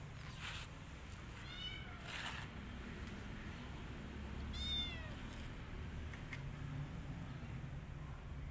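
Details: Rescued kittens hiding in a person's jacket, giving a few thin, high rising meows, two spaced several seconds apart, over a low steady rumble and rustling of fabric.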